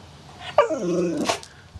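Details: Domestic dog making a funny, talking-like noise: a single drawn-out harmonic moan that slides downward in pitch for about half a second, ending in a short breathy burst, with faint room noise.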